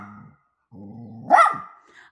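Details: A poodle mother among her puppies growls in low, rough stretches, then breaks into a short, loud, rising yelp that fades into a trailing whine, while her owner chats about going for a walk.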